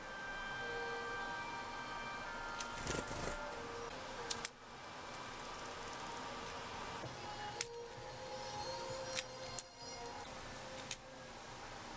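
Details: Steady mechanical hum and broadband noise with a few sharp clicks and thumps; no animal voices stand out.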